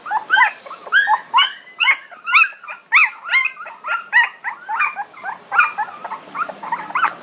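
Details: A litter of 19-day-old puppies cries in rapid, piercing squeaks and whines, pulsing about twice a second, several pups calling over one another continuously.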